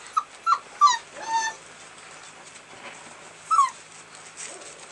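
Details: American Bulldog puppies recorded 18 February: three quick, high, falling yelps, then a longer whine, a quiet gap, and one more sharp downward-sliding whimper, against low hiss.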